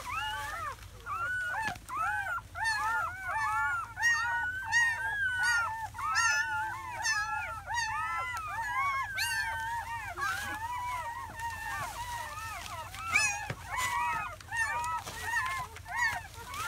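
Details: Seven newborn German Shepherd puppies, four males and three females, in their first hours after birth in May 2017. Dense overlapping squeals and arched whines, rising then falling, pile up continuously, several pups crying at once.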